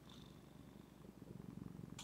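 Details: Soft, steady purring from Zephy, a female house cat, at home: a quiet low throbbing rumble with fast even pulses that grows slightly louder toward the end, closed by a short clicking rustle.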